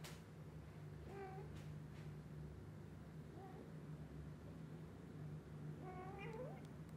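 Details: Just-woken kittens asking the mother cat to play outside; several thin rising mews, one near the start and a longer wavering one toward the end, set against a constant low electrical hum.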